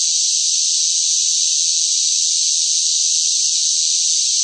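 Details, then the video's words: In hot summer weather, a noisy mass of cicadas makes a constant shrill whirring hiss, uniform and without rhythm or gaps, and no other sounds. "뜨거운 무더위 속 시끄러운 매미 울음 소리"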